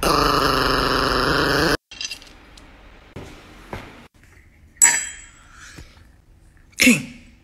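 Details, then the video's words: Four-year-old female Chihuahua named Niki, irritable and angered when her owner teases her. A sustained harmonic growl lasts under two seconds and stops abruptly. Quiet clicks and soft rustling follow in an otherwise still indoor room. "Ecco una chihuahua un po' isterica che non ama essere stuzzicata"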